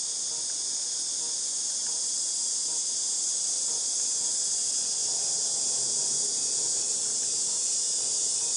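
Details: August 2018 cicada chorus, a continuous shrill electric buzz held at an even level from start to finish, like a ringing in the ears, with a faint low rustle underneath.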